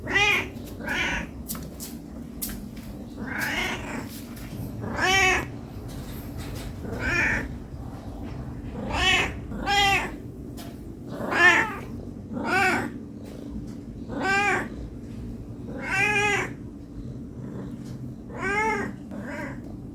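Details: A hungry domestic cat meows non-stop for food, giving a rapid series of about fifteen short, sharp meows roughly a second apart, some harsher and wailing, against a faint indoor hum.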